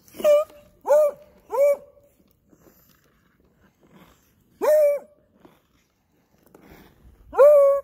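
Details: A chained Beagle called Ice Beagle, left tied up as its owner goes ice skating, bays in loud, ringing, slightly rising howls: three in rapid series, a pause, then two more spaced apart, with quiet gaps between.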